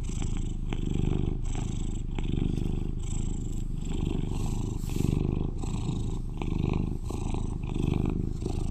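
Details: Eleven-year-old British Shorthair house cat, described as the loudest purrer at home, giving a continuous deep rumbling purr with gentle rhythmic swells about once a second, plus soft crackly rustling and small clicks over the top.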